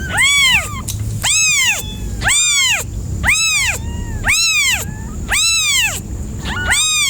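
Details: Cat meowing in a series of loud, arched, tonal meows, each rising then falling, about one per second, with seven calls over the stretch and a faint low rumble beneath.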